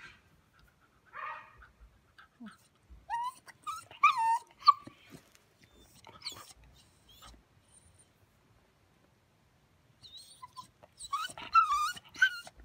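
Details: Blue Staffordshire Bull Terrier puppy crying: high, thin whimpers and squeaky yelps rising and falling, in short bursts separated by quiet gaps, with a cluster of louder whines near the end.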